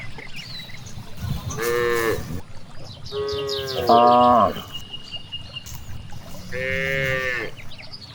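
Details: Cows out grazing in a large rice field, mooing three times about two and a half seconds apart, each call rich in harmonics, the middle one loudest and wavering, against low breeze noise and scattered chirping birds.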